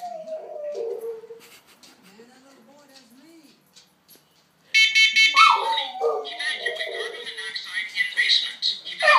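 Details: Boxer puppy howling at a siren: wavering, sliding howls and whimpers, quiet at first, then louder and drawn out over a high, steady wailing siren tone in the second half.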